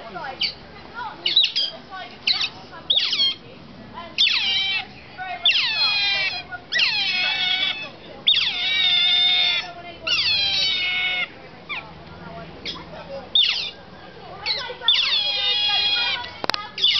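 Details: Captive otters at Shepreth wildlife park, recorded 18 May 2008 close to feeding time, call in repeated shrill, wavering squeals that fall in pitch, grouped in bursts roughly every second, with low background murmur.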